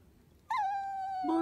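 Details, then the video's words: Chihuahua at home asking for its ball to be taken: a sustained, clear, high whine held for almost a second, slightly falling then level, breaking into a brief lower, rougher note at the end. "A cute dog's voice talking】 A wish Chihuahua! Take the ball!"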